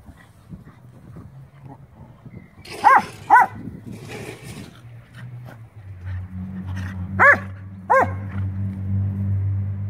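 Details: Scottish Terrier and Schnauzer dogs at Sunday play, roughhousing together; two sharp barks near three seconds, a low scuffling rumble, then two more loud barks close together near the end over a steady low hum.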